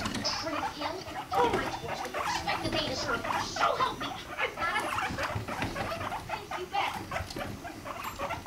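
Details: Guinea pigs Rumply and Fluff, a five-month-old female, mating; a steady run of short harmonic pulses forms a low, stuttering rumble with soft squeaky notes scattered through, plus faint rustling.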